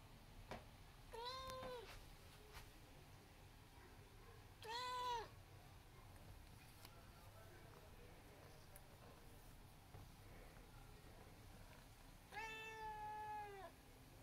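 An Abyssinian cat gives three clear, tonal meows, each rising then falling, spaced several seconds apart.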